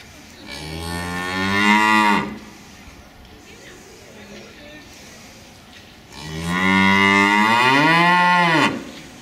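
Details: Cow, one of two animals waiting to return to the barn at the usual time, mooing loudly in protest because the keeper is late: two long harmonic moos, the first about two seconds, the second rising then falling at its end, with a quiet gap between.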